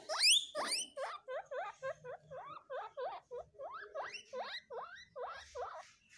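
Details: Guinea pigs give loud, rising wheek squeaks, repeated rapidly in a steady series.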